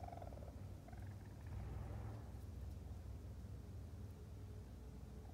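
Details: Mother raccoon's new kits, still very vocal, on their first visit (22 June 2022): low, steady purring churr with a few faint, high chirps near the start; raccoon.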